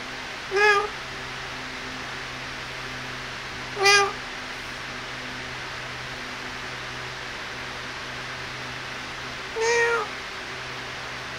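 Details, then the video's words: Three thin, high kitten mews spaced several seconds apart, each short with a slight falling tail, heard while kittens play and feed; a faint constant hum runs underneath. "Relaxing 1 Hour With Cute Kittens - Playing And Feeding"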